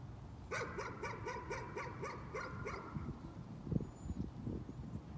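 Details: Nuisance barking: a dog gives a rapid string of about nine sharp barks over two seconds, then stops, leaving a few low thuds and knocks against faint background noise.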